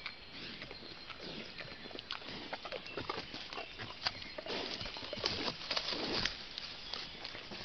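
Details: Wild boar piglet suckling from a sow: dense, irregular wet smacking and clicking, roughly two per second, with soft low grunting beneath and steady background hiss.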